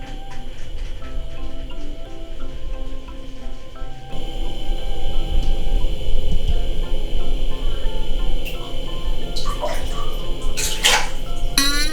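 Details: Background music plays with some talking and a few sharp bright sound effects near the end; no animal voice stands out.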